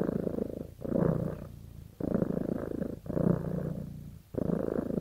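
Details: Close, loud purring from a cat bonded with its owner: deep vibrating rumbles come in about four pulses, each swelling then fading before a short pause for breath.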